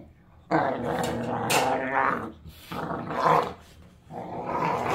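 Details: Pit bull puppy with baby teeth roughhousing with an older rescue pit bull; loud, rasping growls come in two long bursts with a short gap, mixed with scuffling and a voice nearby.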